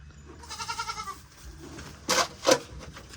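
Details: Goats, four more bought to join a herd: a clear pulsing, vibrato bleat lasts about half a second, followed by two sharp knocking bursts.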